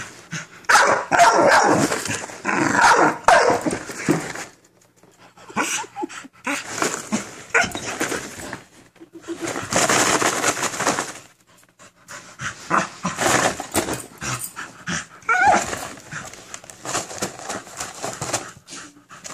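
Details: An American Bully named Minerva confronts a cereal box with bouts of harsh, broadband barking. Rapid clusters of barks are broken by brief silences, some softer whining-like notes between.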